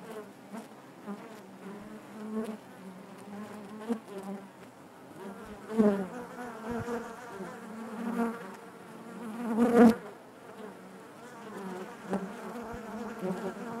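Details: Inside a honey bee hive, a constant low buzzing drone of many bees, punctuated by two sharp louder swells where single bees fly close past.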